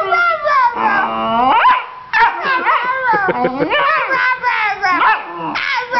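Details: A female Vizsla pup named Honey talks back to her owner: dense, warbling yodel-like vocal sounds that rise and fall steeply, with a short gap midway and a human voice overlapping.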